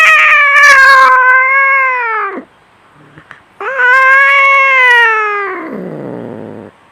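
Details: Fighting domestic cat gives two long, loud, slightly falling yowls with rich harmonics, the second trailing off into a rough growl.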